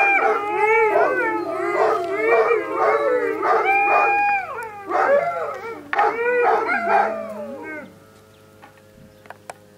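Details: Several Alaskan Malamutes in a group howl with sirens, recorded 12 October 2014; overlapping wavering, sliding howls and yips fill most of the recording, then fade near the end, leaving faint steady tones and a few clicks.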